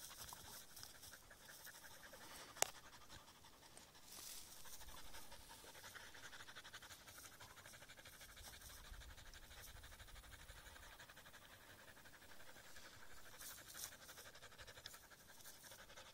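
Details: Aiza, a husky near reeds, pants steadily for over sixteen seconds; soft rhythmic breaths run throughout, with a sharp click near the start and occasional rustles.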